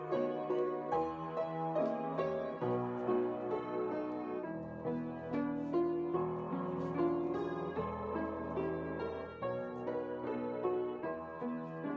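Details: Gentle piano music plays steadily, with no animal sound standing out above it.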